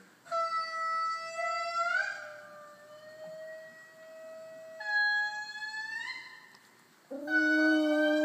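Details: In Madagascar, indris starting to wake do their morning territorial song: long, wailing, slightly rising notes held a second or more that keep neighbouring groups apart. A pet dog answers with its own howling wails.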